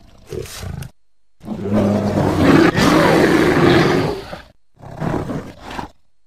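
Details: Bear growling at the recordist in woods near a house: a brief grunt, a pause, then a long harsh roaring growl of about three seconds, and a shorter rasping growl after another gap.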